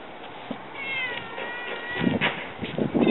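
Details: Domestic cat meowing near a basket where a male Siamese sleeps and a black-and-white female approaches; a single drawn-out, wavering tonal meow of about a second, followed by rustling and soft thumps.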